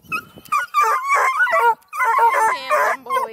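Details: Registered coonhounds, Blueticks, Redbones and black and tans, at a hound kennel near Kingston, Ontario, Canada, giving loud, ringing bays and yips in quick bursts, with a person speaking over them.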